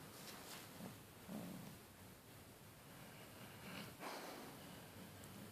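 A Basset Hound snores quietly in slow, low, rasping breaths that rise and fall every two seconds or so. A faint hiss and a little rustling sit underneath.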